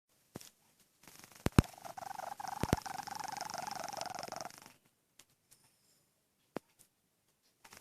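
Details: A sleeping domestic cat snoring, apparently dreaming, indoors. One drawn-out raspy, rattling breath lasts about four seconds before it fades, with a few faint clicks and taps in the quiet that follows.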